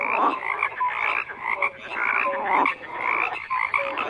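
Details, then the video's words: Crowded frog chorus, many callers croaking at once in a thick, unbroken wall of raspy pulses with occasional short whistled notes rising above. "FROGS CROAKING"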